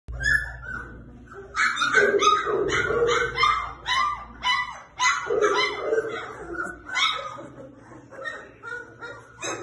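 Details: Saint Bernard puppies, 25 days old, giving a continuous jumble of high whines, yelps and squeaky cries, several overlapping, with uneven rhythm and loudness.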